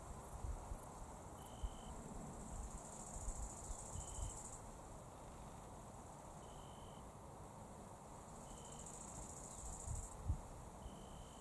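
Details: Italian tree crickets in early September, unusually by day, in a forest clearing at the woodland edges of the Raaderwald sing soft, pure-toned "zrü" or "drü" trills in short bursts every couple of seconds.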